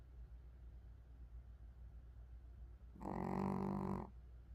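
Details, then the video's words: Pomeranian snoring in its sleep: quiet low hum of breath for three seconds, then a single loud, nasal, buzzy snore lasting about a second before fading back to the soft background. "강아지 코골이"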